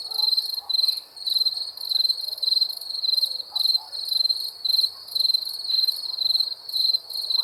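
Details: Crickets calling at night with continuous rhythmic chirps, each burst a quick run of sharp high pulses, spaced evenly with short gaps, over faint scattered background noise.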